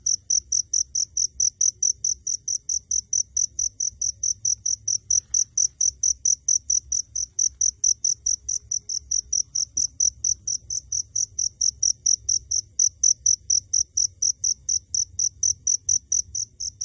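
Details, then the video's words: Unseen cricket recorded up close, repeating crisp high-pitched chirps evenly around four times a second, over a soft low-frequency hum. "I recorded the sound of crickets, I still could not see even when I was close"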